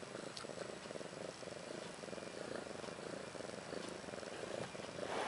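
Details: Domestic cat Ashley, about a year old, with her two newborn female kittens Maggie and Rose, born March 30th 2013; steady rhythmic purring throbs in fast low pulses, with a few faint clicks and soft indoor hiss.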